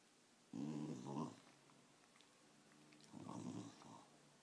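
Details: Patsy, a 13-year-old female Wire Fox Terrier described as still energetic despite her age, growls indoors in two rough, rumbling bursts about two and a half seconds apart, with a softer low growl continuing between them in a quiet room.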